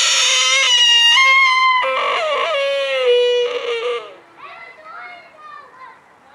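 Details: Sika deer recorded at Blanckendaell in Tuitjenhorn, Holland: loud, strained, whining harmonic calls run for about four seconds with shifting pitch, then fade into softer, fainter wavering squeals.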